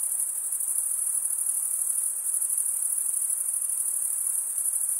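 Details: High, shimmering continuous chirr of crickets stridulating, males scraping one wing across the teeth of the other, with subtle rhythmic pulsing and nothing else in the background.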